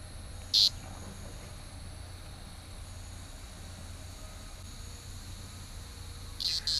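A cicada gives short, loud buzzing bursts over a steady high-pitched insect hum.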